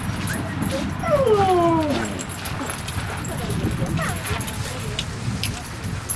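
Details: Dogs Rosy and Rocky at play in Seal Point Dog Park, western side of San Francisco Bay, on February 10, 2015: one drawn-out, harmonic whine that wavers and slides downward over about a second, amid human voices and steady low background rumble.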